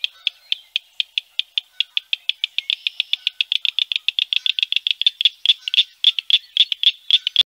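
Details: Northern cricket frog (Acris crepitans), song.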